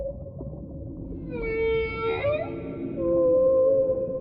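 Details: Whale calling in deep-sea surroundings: a held mid-pitched moan joined by a rich overtone-laden cry that wavers and dips, then a smooth sustained tone, over continuous low underwater rumble.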